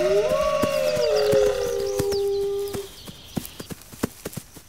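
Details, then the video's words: Several wolves howling together in a relaxation mix: overlapping tones, one rising and then holding level, another sliding down, blend for nearly three seconds before breaking off, leaving scattered crisp clicks. "Wolves Howling"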